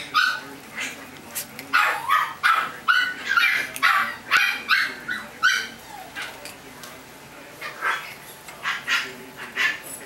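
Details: Chihuahua puppies; rapid, high-pitched yapping barks in bursts of about two or three per second, some with a whimpering edge, faint voices underneath and a steady low hum.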